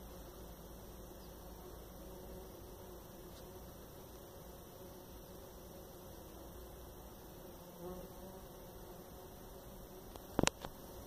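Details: Steady low buzzing of Jataí-da-terra bees (Paratrigona subnuda), a continuous drone with soft tonal hum, ending with a couple of sharp clicks or knocks near the close.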